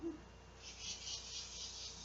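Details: Large male cicada calling for females to mate at midday, 12:10 p.m., on a hot summer day, August 2, 2016, beside a doorway. A high, hissing buzz swells and fades in short pulses over a steady low electrical hum.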